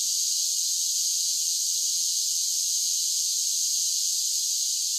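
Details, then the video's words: Singing cicadas on a summer day form a level, piercing buzz that never breaks or changes in rhythm, heard alone without birds, wind or people. "10 Hours of Cicada Sounds for Relaxation with Soothing Summer Nature Sounds"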